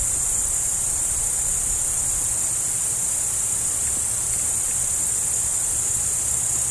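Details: Steady high trilling from many crickets, recorded where a roe deer is present; the shrill chorus runs without pause from start to end over faint low-frequency background noise.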